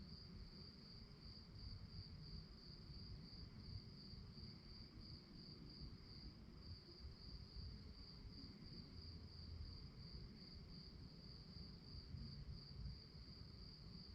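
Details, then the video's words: Crickets at night keep up a steady, shrill pulsed chirp without pause, set against a faint low hum of distant noise. "relaxing sounds of crickets"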